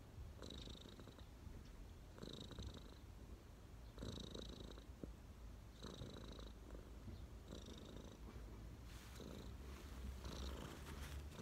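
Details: Cat relaxing on its owner's knees purrs steadily, a low rumbling drone swelling in regular pulses about every two seconds, with a faint higher hiss riding each pulse.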